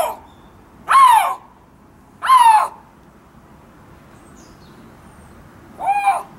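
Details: Siberian lynx in the Hamura City Zoo enclosure uttering three strong, harmonic cries, each a short wail that falls in pitch, separated by gaps of about one and a half to three seconds of near silence.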